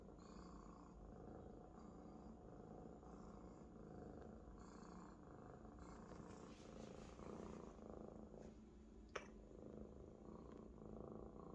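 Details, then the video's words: Maine Coon kitten, happy and comfortable atop a big fluffy adult housemate, purrs loudly; an even low rumble with faint breath pulses, a few rustles and one sharp click near the end. "A Big Friend Is the Best Bed for a Purring Kitten"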